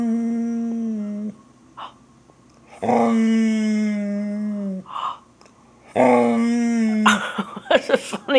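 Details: Border Collie Jaxon, worked up about squirrels, gives long wavering whines that slide slightly downward, three sustained bouts in a small room, ending in a scuffle of clattering noises.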